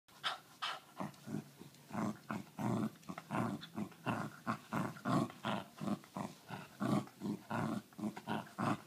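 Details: Australian Cattle Dog. An Australian Cattle Dog makes a rhythmic series of rough, low grumbling growls, each burst lasting under a second and coming more than once a second. The vocal protest signals the dog's refusal to surrender its ball.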